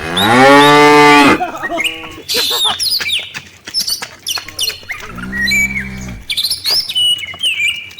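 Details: Dozens of tame village cattle (sapi lembu) heading to the farm pen in the afternoon; one loud opening moo, then quieter birdsong, then a second, lower, softer moo, with birds chirping around it.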